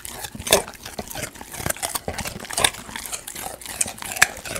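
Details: Golden retriever eating raw sweet potato indoors, close ASMR-style recording: crisp crunching bites and wet chewing clicks, irregular bursts about every second, with brief sharp high ticks.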